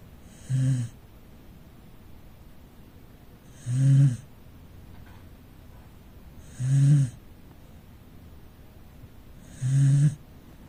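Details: Rescued Corgi asleep in the living room, snoring in low rumbling bursts with a breathy hiss on top, four snores roughly every three seconds against a quiet room.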